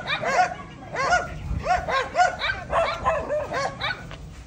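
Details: Four-month-old Belgian Malinois named Diango yaps during an exercise walk: quick, shrill, arching barks in close bursts, a brief pause near the middle, then more rapid yips fading toward the end.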